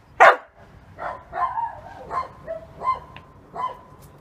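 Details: Halo, a young male Samoyed aged 7.5 months, barks to invite play; one sharp bark followed by several softer, shorter yips spaced about half a second apart, with quiet background between.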